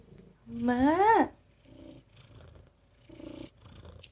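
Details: Aegi, a cat rescued as a dying feral kitten in 2018 and now boss of its outdoor siblings: one strong meow that rises and then drops sharply, followed by faint low rustling and soft sounds.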